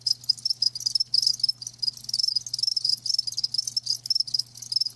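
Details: Crickets kept live, giving shrill rapid chirps in quick irregular bursts, calls overlapping into a near-continuous high trill with a faint low hum beneath.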